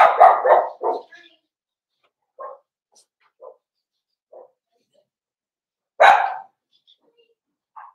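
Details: Rapid run of four barks opens this recording of Cavalier King Charles Spaniel puppies meeting big dogs at home, followed by scattered short quiet yips and one loud bark near the end.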